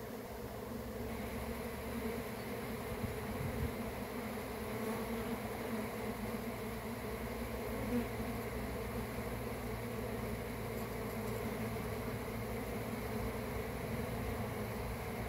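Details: Swarming honey bees kept by a beekeeper, a thick continuous droning buzz of many insects with steady layered hum tones that rise and fall slightly in loudness over fifteen seconds.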